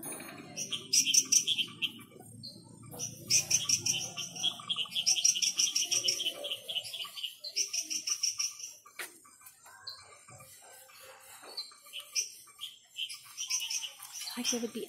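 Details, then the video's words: Frogs calling at night in the Ara Ambigua frog garden: several callers give high, sharp chirps and short pulsed trills that overlap in quick bursts, with a low murmur underneath during the first six seconds. "Ara Ambigua Frog Garden Sounds of the Night"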